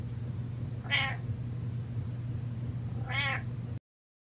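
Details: Domestic cat Butters meows twice in quick succession, about two seconds apart, each a clear harmonic cry that bends upward then down, the second longer and more wavering, over a low steady hum.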